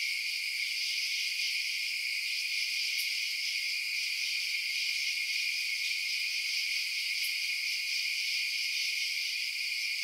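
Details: Crickets chirp through the night in an even, high shrill drone of overlapping trills, constant in volume, with a couple of brief faint ticks and no other animals.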